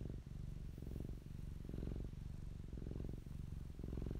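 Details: Fluffy cat Popolina purring right by the microphone: a throaty low rumble in steady breath-timed bursts, brief quiet gaps between inhale and exhale.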